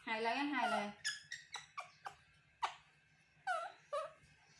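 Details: Baby male monkey calling to get its mother to comfort and hug him: a drawn-out wavering wail, then a run of short, sharp, falling squeaks repeated irregularly, about eight in three seconds, indoors.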